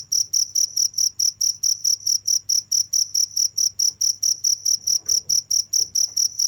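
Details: Nonstop chirping of a cricket: sharp high notes pulsing evenly about four times each second, with a low faint hum and a few soft rustles in the background.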